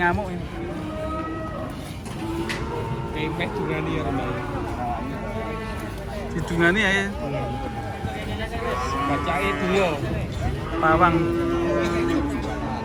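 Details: Cattle lowing while being unloaded from a truck in an enraged state: drawn-out, tonal moos held for about a second, mixed with steady overlapping human speech and crowd chatter throughout.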